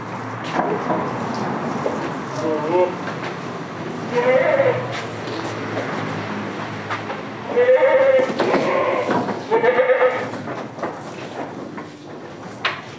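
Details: Damascus and Jamunapari goats on a village farm: a series of shaky, vibrating bleats, some in quick pairs, heard through people talking nearby and background clatter.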